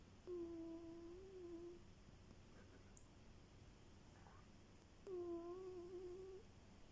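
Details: A pet cat indoors making a purring snore: two quiet, steady, drawn-out humming tones, each about a second and a half long and roughly four seconds apart, in a small quiet room.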